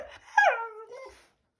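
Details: Shiba Inu vocalizing at its owner as if talking, one short harmonic whine that jumps up, then glides smoothly down and trails off, in a quiet small room.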